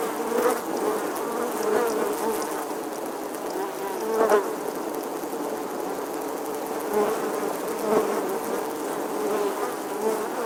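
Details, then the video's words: Buzzing of a bee in summer, a constant humming drone with small rises in loudness every couple of seconds, no other animals or voices standing out. "Bee Buzzing Sounds"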